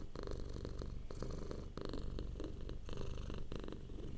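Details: Soft purring from a relaxed domestic cat, a low vibrating rumble broken into short rhythmic bursts with faint breathy overtones, heard close to the microphone.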